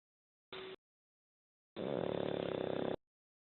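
A Pekingese dog snores with a raspy, vibrating rattle that lasts about a second on the breath. A short, sharp snuffle comes just before it in an otherwise quiet room.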